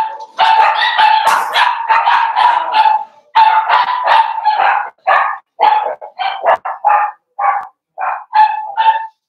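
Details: Daisy's four-week-old Cavalier King Charles Spaniel puppies in an indoor pen: a loud, continuous run of shrill, harmonic yelps and yips, dozens in quick succession, merging at first and then breaking into separate cries with short gaps.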